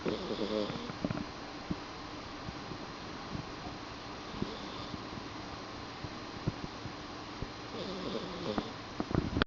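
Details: Kipu, a pet cat, snoring while asleep in a dim room: soft, buzzy, rasping breaths recur about every four seconds over a steady low background hum.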